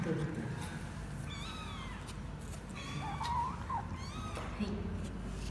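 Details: Twenty-four-day-old kittens of a former stray mother cat in Cambodia, weighed for the first time on 24 January 2020; several short rising-falling mewing cries, some thin and high, over steady low room rumble.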